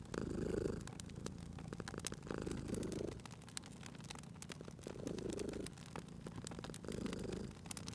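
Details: A sleeping cat at a cozy crackling fireplace purrs softly in a low rumble. Each breath brings a louder swell about every two and a half seconds, and scattered crisp pops of the fire punctuate the background.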